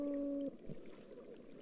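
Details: A Gulf toadfish recorded underwater on an estuarine oyster reef gives low, steady, horn-like hums, broken by a pair of short grunts.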